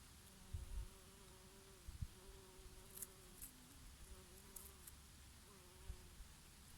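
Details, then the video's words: Honey bees grazing on oregano flowers in summer: several passing buzzes, each a steady humming tone with overtones that wavers and glides as bees move between blossoms. Low rumbling breeze underneath and brief faint high ticks. "Peaceful sound of the summer breeze and of the Bees and here and there a bumblebee"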